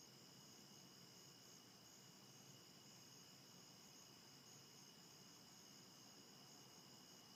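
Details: Crickets on a very dense foggy morning, 1 September 2015 around 5:30 am, heard from a bedroom window: a steady, unbroken high-pitched trilling drone in several layered bands over soft broadband hiss.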